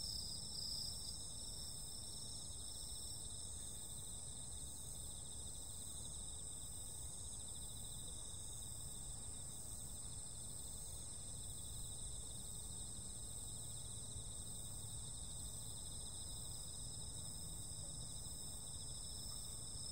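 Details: Summer-night insect chorus with unbroken high-pitched buzzing trills stacked at a few distinct pitches, holding steady for the full twenty seconds above a constant deep hum of distant noise.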